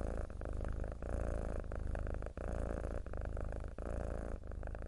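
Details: A mackerel tabby cat purrs in a steady, low, rumbling drone.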